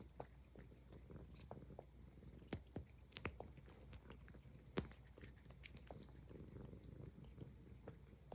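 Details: Highland Lynx cat purring while grooming indoors: a steady low rumbling purr runs throughout, broken by frequent sharp licking and smacking clicks from the grooming.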